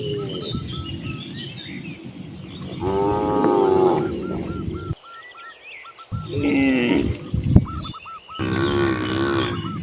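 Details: Cattle roaming freely outdoors, heard as two long, low, wavering moos separated by a brief hush, with faint repeated chirps behind them.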